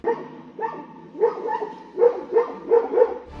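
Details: Domestic dog barking at a bear that lunges toward it, holding its ground until the bear walks away and saving its owner's life; a series of sharp, harmonic barks, about seven in quick bursts, over a low steady hum.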